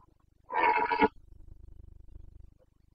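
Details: Carpathian red deer stag roaring during the breeding season rut in Bucovina, Romania, 29 September 2022; one loud, harsh, hoarse bellow of about half a second, followed by low rhythmic rumbling in near silence.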